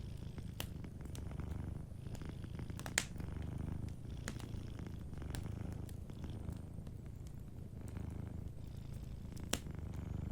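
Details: A cat asleep near a fireplace purrs gently in a steady, deep rhythmic rumble, accompanied by frequent small crackles and a couple of louder pops from the burning logs.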